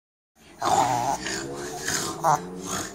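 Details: A dog, a Shih Tzu or Pomeranian, snorts in rough, rasping bursts, sounding as if it can't breathe.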